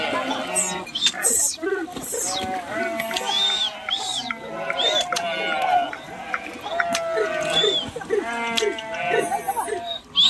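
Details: Sheep swimming across a river during a crossing, jumping into the water: repeated quavering bleats from several animals overlap throughout, steady harmonic cries roughly every second, with human voices in the background.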